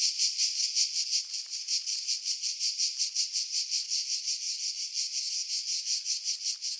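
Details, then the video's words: Pine-tree cicadas at Pefkos Bay on Skiros Island, Greece, in July 2018, roughly 50 m above the sea; a shrill, rasping drone throbbing in regular beats near three per second, with some uneven pulses and no other sounds. "Cicada Sounds"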